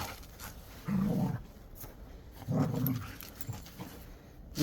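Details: Jindo mix dog indoors gives two low, rough growling rumbles, each about half a second long and about a second and a half apart, with faint background noise between them.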